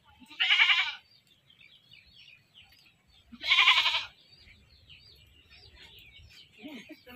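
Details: Goat caught and then slaughtered: two loud, harsh, wavering bleats about three seconds apart, each near half a second long, with faint background rustling and a short low sound at the end.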